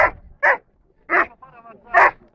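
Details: Dobermann Zidan (Keyn) della Nuova Dolce Vita, a junior placed third, at the A.I.A.D. national gathering in Rome on 21 March 2010, giving three loud, sharp barks about seven tenths of a second apart, with faint voices between them.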